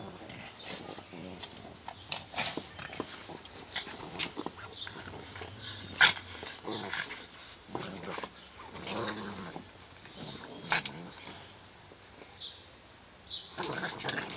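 Boston Terriers growling and snuffling in rough play, with short noisy bursts and a few whimpers.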